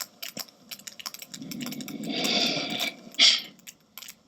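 Sperm whale clicks: sharp, broadband ticks in an irregular, overlapping stream, building into a dense burst.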